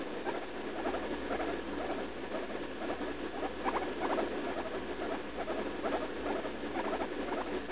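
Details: Leslie, a pet guinea pig of about three, cries in pain while pooping on June 16 after eating leaf lettuce. Quick series of thin, harmonic squeaks, grouped in stuttering bursts every second or so, over a faint steady hiss.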